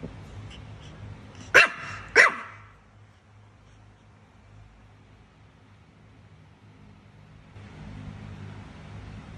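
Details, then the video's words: Two sharp, high barks in quick succession from a Chihuahua barking at a cat, followed by several seconds of quiet room hum. "Cute Chihuahua Dog Barking At A Cat"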